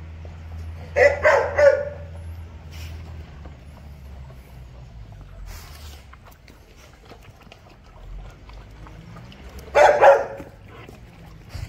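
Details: Doberman puppies during feeding, with a short run of three yapping barks early on, a long stretch of low hum and faint rustling, then another tight cluster of two or three barks.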